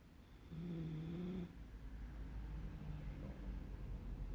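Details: Lukas, a pet Poodle that snores day and night, lets out one low droning snore in the first second while asleep, followed by a faint, steady low rumble.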